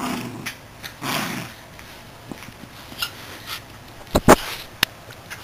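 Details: A Miniature Schnauzer playing with his toy squirrel makes brief, low, rasping growls and breathy snuffles in a quiet room, followed by several sharp clicks and thumps, with no barking.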